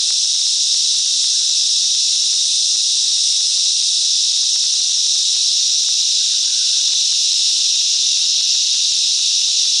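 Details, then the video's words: Chorus of cicadas in the mangrove bush of Coffs Harbour, New South Wales, Australia, making a continuous shrill buzzing drone that holds a constant pitch and level. A few faint low clicks lie beneath it. "Cicadas Song"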